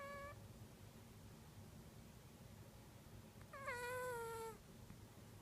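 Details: Domestic cat in deepest sleep, snoring, filmed on an iPhone: a brief tonal cry at the start, then after a quiet pause a longer, drawn-out wailing note that slowly falls in pitch, over a low steady hum.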